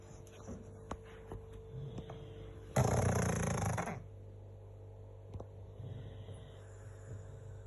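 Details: A pug snoring out loud. One loud, rough, noisy snore lasts about a second, set among quieter low rumbling breaths, faint clicks and a steady low hum.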